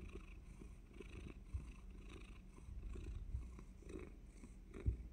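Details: Cat purring before suddenly biting; even, low vibrating purr with breathy pulses and occasional soft knocks near the end.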